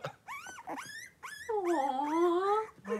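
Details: Five three-week-old blenheim Cavalier King Charles Spaniel puppies wrestling and playing in a home puppy pen; high harmonic whines sweeping up and down, then a long sustained squeal, with short cries between.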